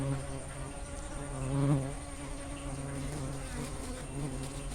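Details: A swarm of giant honey bees (Apis dorsata) hums with a steady, low, droning buzz rich in overtones, swelling briefly midway, as the bees come to drink sugar syrup set out for Apis cerena during the rainy season.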